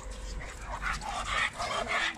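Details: Labrador Retriever with a behavioural disorder, assessed before training as a "time bomb" case, giving rough, noisy barks about every half second, each burst broad and harsh, with a low steady background hum.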